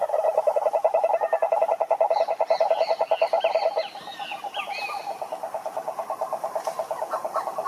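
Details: A pond chorus of several frogs: rapid pulsed croaks at mid pitch, loud at first then softening, with brief chirping higher notes over the chorus in the middle.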